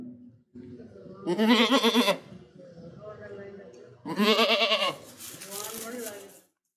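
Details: Goat with two strong vibrato bleats about three seconds apart, each a harsh shaking cry, between quieter low grumbling calls.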